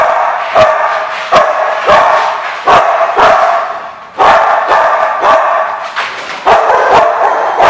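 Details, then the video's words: At The Barking Lot, 1/2/15, several barks overlap without pause: a rough, layered yapping with abrupt loud barks breaking through at irregular intervals. "The Barking Lot"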